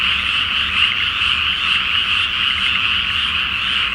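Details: Frogs in a dense nighttime chorus on a flooded rice field before planting, under a full flower moon: a continuous wall of overlapping croaks in a bright mid-to-high band, pulsing irregularly about twice a second, with a faint low hum beneath.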